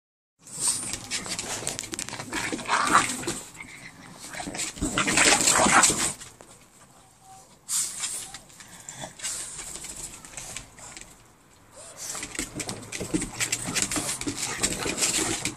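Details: Two Boston Terriers play fighting on patio furniture: rough, noisy growling and scuffling in loud bursts from about one to six seconds and again from twelve seconds on, with quieter rustling between.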